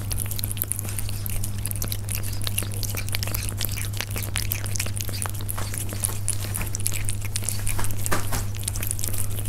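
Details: Persian cats eating, recorded up close: a dense run of sharp crunching and biting clicks scattered throughout, over a steady low electrical hum.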